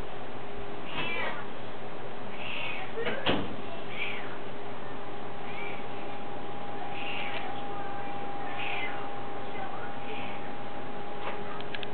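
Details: A curious domestic cat meows again and again, brief rising-falling calls scattered across the recording, with a sharp knock near the start and a steady hum underneath.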